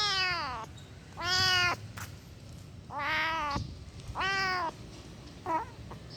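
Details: Angry kitten giving five harsh, strongly harmonic meows in under seven seconds, each about half a second long, some with a rising then falling pitch, the last one short and clipped; a quiet indoor background.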